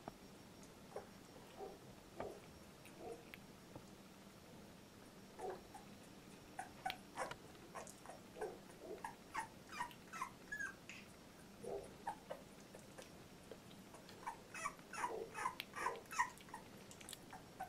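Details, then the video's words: Labrador Retriever litter, puppies 14 days old, Litter J: soft scattered squeaks and short whimpers, building to a denser run of little cries toward the end over a low steady hum. "Puppy 14 days old labrador retriever"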